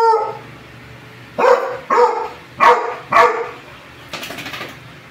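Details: Two pet dogs, a one-year-old beagador and a four-year-old American Bully, during playful zoomies indoors: four loud, harmonic barks in quick succession, about half a second apart, then softer yips, in a small room.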